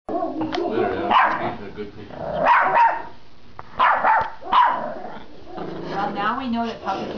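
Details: Young female dog at a back door yapping at a noise in the backyard: a few sharp, high barks in short clusters with pauses between, followed by a person's voice praising her.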